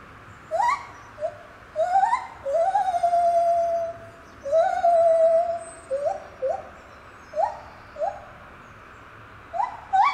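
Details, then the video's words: Lar gibbon singing at Safaripark Beekse Bergen, 9 July 2021: clear hooting notes that swoop upward, alternating short rising whoops with long level wails, spaced by brief pauses. "Lar Gibbon singing"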